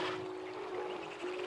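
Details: A walrus (Odobenus rosmarus) gives its bell song, a clear, ringing, bell-like tone held steady like a struck chime, heard in the wild on an island off the coast of Alaska with a massive haul-out.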